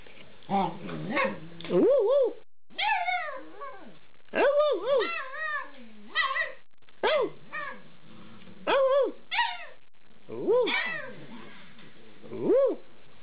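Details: Eight-week-old Alaskan Malamute puppies 'talking' with a person: a rapid series of short, arching, whining yowls and woo-woo howl-like calls, bending up and down in pitch, a dozen or so bursts separated by brief pauses.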